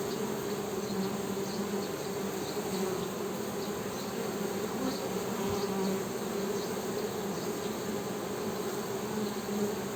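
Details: Honey bees humming: a steady, dense buzz with a low drone and its overtone holding throughout, many wingbeats blending into one continuous hum.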